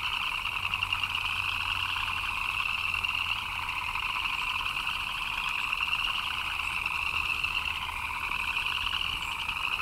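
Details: Rain-time frog chorus, continuous and even: rapid pulsed chirping from numerous callers merges into a shrill, slightly wavering drone with a lower buzzy layer beneath, no pauses.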